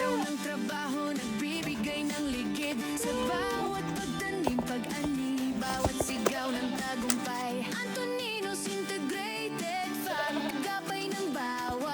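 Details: Upbeat pop music with a singing voice fills the whole stretch, and no animal calls are heard.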